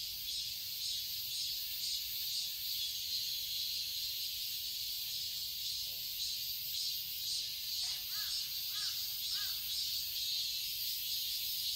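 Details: Summer cicadas in a garden in Seoul, Korea, forming a dense, shrill, continuous high drone with a faint steady pulsing throughout; a few short arched bird calls break through around the eighth and ninth seconds.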